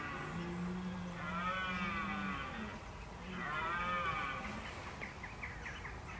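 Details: Red deer bellowing (bolving) in October 2014 while preparing for the rut: two long, deep, drawn-out roars, each about two seconds, with rich wavering overtones and a short gap between them.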